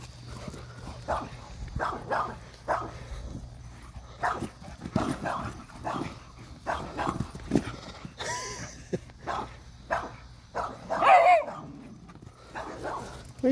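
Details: An Irish Wolfhound with the zoomies, running around a yard, gives repeated deep short barks in irregular bursts, mixed with thumping movement and a person speaking near the end.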